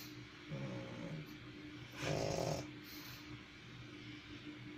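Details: Sleeping pug dog giving two snores, a short low rattle followed by a louder, longer raspy snort about a second later, each a noisy buzzing breath over a steady faint room hum.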